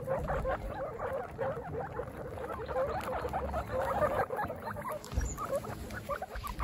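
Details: Young guinea pigs at a picnic outing, their first, give dense bursts of brief squeaks and chirpy notes that tumble over one another, with soft rustling throughout.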